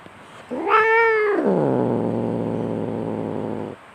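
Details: Domestic cat fighting: a brief rising yowl quickly drops into a long, low, rattling growl held for over two seconds, with faint background hiss.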